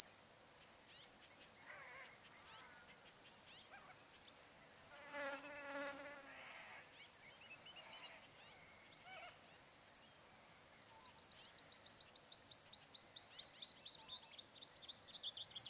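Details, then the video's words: Crickets chirping at sunset on a still summer afternoon by the Barcoo River, Welford National Park, Outback Queensland, Australia: a dense, continuous high shrill band with pulsed bursts above, while faint bird calls sound beneath. "Australian Sunset Chirping Crickets"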